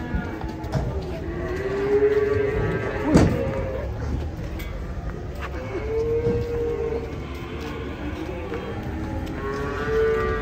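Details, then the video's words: Cattle unloaded from a truck in Indonesia: several sustained moos, each a couple of seconds long and roughly level in pitch, spaced a few seconds apart, with a sharp knock midway, background music and people's voices. "SAPI LUCU PALING KOCAK TURUN DARI TRUK"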